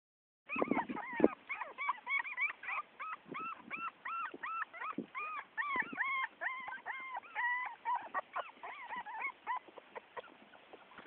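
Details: A 4-week-old female Miniature Pinscher puppy, outside for the first time and disliking it, gives rapid, high, wavering yelps and thin howls, one after another.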